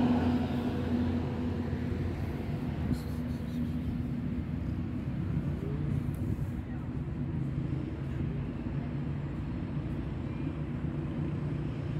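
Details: Steady low traffic rumble with a constant engine hum and faint distant voices, and no animal calls.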